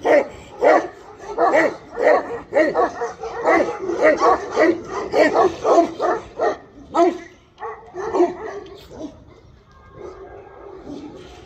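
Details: Tibetan Mastiff giving a rapid run of loud, harsh barks, roughly two per second, then tailing off into quieter, lower yelps near the end.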